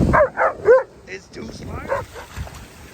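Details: German Shepherd on a beach day playing fetch with a stick; three quick harmonic barks or yips in the first second, a fainter whine-like call near two seconds, with a person talking softly.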